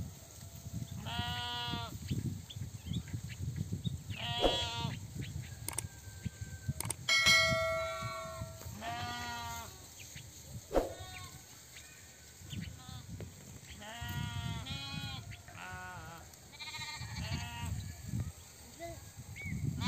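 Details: Sheep in a herder's flock bleating repeatedly, about eight wavering, harmonic-rich bleats, some overlapping, spread across the stretch, with a sharp bell clang near the middle and a steady low rumble underneath.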